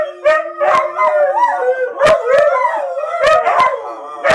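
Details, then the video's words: Several huskies in a house full of huskies howling together, long wavering tones sliding up and down and overlapping in a chorus, broken by sharp clicks or knocks. "singing huskies"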